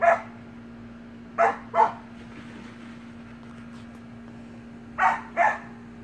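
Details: Samoyed puppies playing together in a pool bark in short, bright yaps, one then two pairs spaced a few seconds apart, over a continuous low hum.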